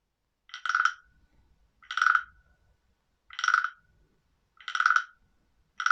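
A frog gives short, harsh, buzzy croaks, each about half a second long, repeated every second or so.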